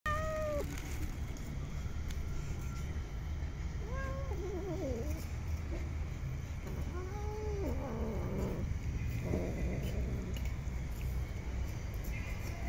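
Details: Street cats being fed and petted give three or four short meows that slide downward, spaced several seconds apart, over a constant low rumble of traffic.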